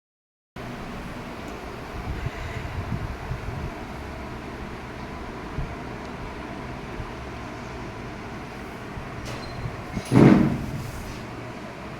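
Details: Steady low rumble of a moving vehicle or train, with a brief louder knock or clatter near the end and no animal voice.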